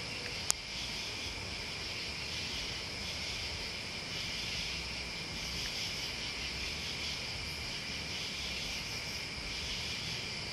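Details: Crickets and bugs keep up a steady, high, sizzling trill without pause; a single sharp click sounds near the start, and soft low rumbling runs beneath.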